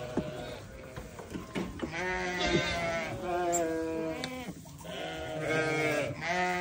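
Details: Newborn lambs cry in long, trembling bleats, one after another with little pause, the voices overlapping and sustained.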